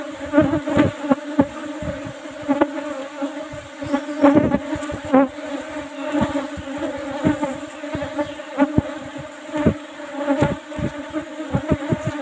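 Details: Asian honey bees in an old-style box hive with a used asbestos lid, humming during a honey harvest that yields plenty of honey; a steady low drone with layered overtones, broken by frequent sharp knocks and clicks from handling the hive.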